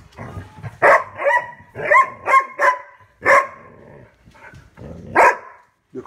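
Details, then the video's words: A pet dog named Rubble barks at his bone: about six loud, sharp barks spaced under a second apart, mixed with a person's voice nearby. "Rubble barking at his bone"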